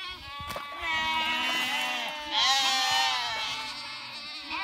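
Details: Sheep leaping over a small stream, several overlapping bleats with a wavering, harmonic-rich voice, one louder call rising in the middle.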